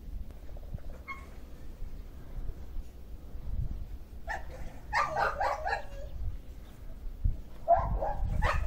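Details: Dogs on a farm in the countryside after a night of snow, kept in a dog shelter with a fallen plastic cover; short harsh barks and yelps in loose bursts around five seconds, over low wind rumble.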